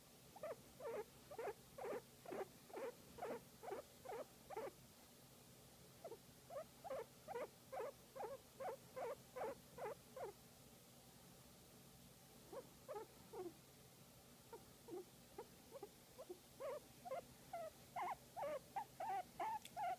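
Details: Guinea pig enjoying a massage, giving quick runs of short squeaky notes, about two or three a second, in bursts separated by brief pauses, in a quiet room.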